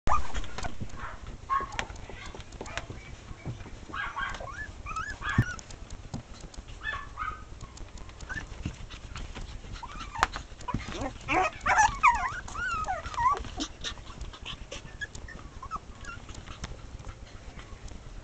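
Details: Chihuahua giving scattered short yaps and thin whines over steady background hiss, with a cluster of higher squeaky calls past the midpoint.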